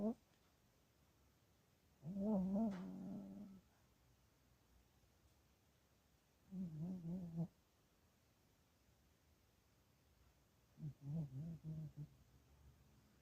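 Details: Chihuahua asleep and dreaming, letting out three soft, low wavering moans with a slight whine on top, spaced several seconds apart amid quiet room tone.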